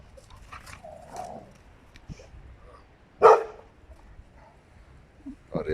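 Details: Rottweilers, two females and one male, showing jealousy: a single loud, harsh bark bursts out after quiet stretches of faint rustling and low sounds, with a shorter bark at the end.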